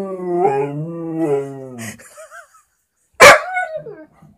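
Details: Vizsla dog howling at a squeaky toy: a long, steady, quavering howl of about two seconds, then a few short higher yelps and a sharp loud yip.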